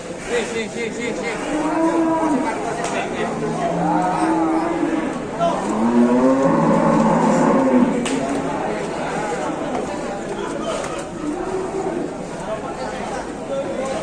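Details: Cattle moo repeatedly while being unloaded at a livestock market, with several overlapping low, drawn-out, wavering calls rising and falling, set against a crowded background of human voices and general noise.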